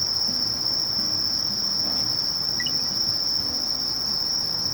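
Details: Conocephalus melaenus, known as Sasakiri, sustains a high, thin, continuous trill at constant pitch with a faint rapid pulsing above, over a low muffled background.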